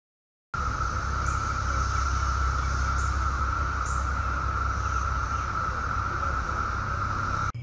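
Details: Daytime chorus of Brood X 17-year periodical cicadas in Chantilly, Virginia, 2021: a steady, unbroken droning hum holding one pitch throughout, over a constant low rumble.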